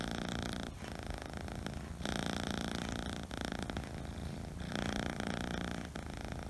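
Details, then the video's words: Kitten of Scottish Fold or Scottish Straight breed, purring in the house: a low, throbbing purr that swells and fades in waves, with intermittent louder brushing sounds. "My kitten is the purring machine | Scottish Fold | Scottish Straight |"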